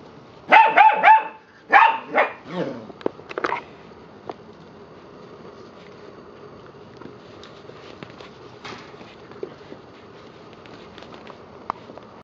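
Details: Eight-week-old rescue puppies, reportedly a Labrador Husky mix, let out a quick burst of five or six yelping barks in the first few seconds, then fall quiet apart from scattered light clicks and taps.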